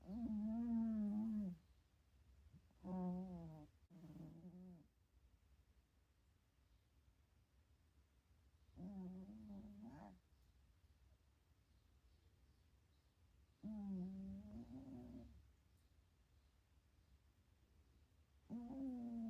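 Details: A sleepy cat napping at home, dreaming, snores in long drawn, buzzing tonal breaths. About five sounds come every four to five seconds, some in doubled bursts, with near silence between them.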